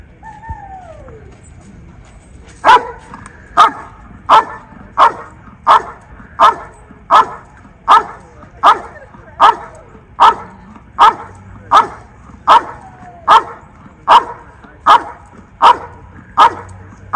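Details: Belgian Malinois named Mako during Schutzhund protection-phase blind search, bark and hold training in early stages: a steady series of loud, sharp barks about once every second after a brief whistle-like tone at the start.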